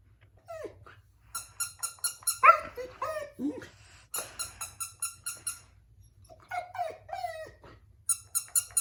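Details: Siberian Husky puppy crying at a baby toy indoors: high whimpers and yelps that slide downward, in short bursts alongside a repeated electronic chiming toy tune.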